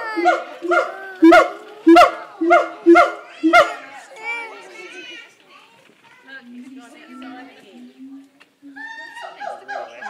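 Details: Siamangs at Auckland Zoo give a run of loud, harsh, evenly spaced barking hoots, then softer wavering notes.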